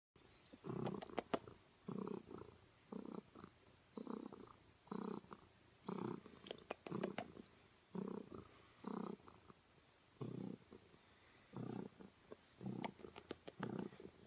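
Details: Female domestic cat purring while her owner gives her a kiss on the cheek; low rumbling purr in pulsed bursts roughly once per second, with faint clicks and rustles between.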